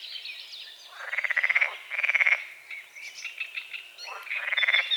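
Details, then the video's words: Dawn chorus of frogs on a small forest-edge lake, morning fog over the water: three rasping, finely pulsed croaks, each roughly half a second, separated by quieter gaps where faint bird notes and twitters carry on. "The sounds of morning frogs croaking"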